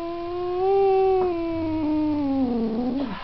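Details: One sustained cat yowl, swelling in loudness, then sagging in pitch and ending with a wobbling, descending whine.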